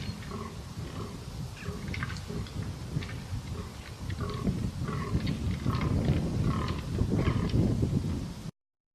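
Deep, throaty grunts and a low rumbling roll through the recording as fallow deer bucks fight, growing louder toward the end. Short, faint chirping notes from smaller animals sound above the low noise.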